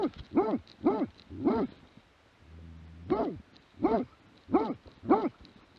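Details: Plott hound recorded in 2017 delivers repeated gruff barks about every half second, with a low droning hum briefly in the gap midway.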